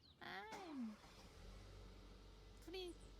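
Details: Domestic cat nagging after a forgotten promise to play, filmed March 2022: a drawn-out meow that slides downward, then a brief second meow near the end, with a person talking and low background hum.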